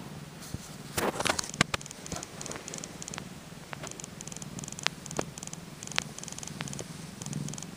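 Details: Two-day-old Tonkinese kitten purring, heard as a faint strange ticking: a low, steady purr rumble under scattered sharp clicks and ticks, with a few louder clicks near the start.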